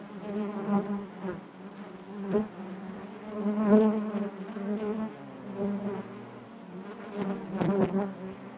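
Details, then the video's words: Honey bees humming inside their hive, a dense continuous drone with a strong low fundamental and stacked harmonics, swelling and easing in waves with brief louder surges near the middle and end. "bees therapy hive natural buzzing sound"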